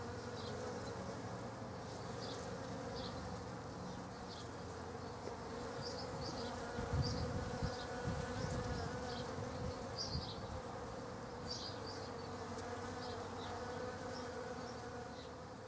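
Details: Hundreds of Western honey bees (Apis mellifera) visiting poached egg plants in a back garden give a steady, low droning wing hum, with faint high bird chirps in the background.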